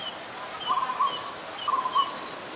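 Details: Pallas's squirrel in Ubon Ratchathani, Thailand, on 1 January 2023, calling when there is danger: two short bursts of rapid, pulsed chattering notes about a second apart, with faint high bird whistles behind.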